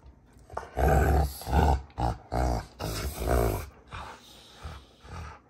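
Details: Two Rottweilers, June and Kenai, wrestling in play on a homestead ranch, trading a rapid series of throaty growls in short pulses, several per second, rising and falling in loudness.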